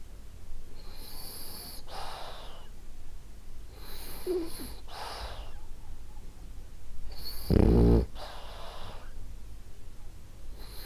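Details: A sleeping pet French Bulldog, Ariva, breathes in soft wheezy snores with airy hisses, then gives one loud, rough, low snort about three-quarters of the way through.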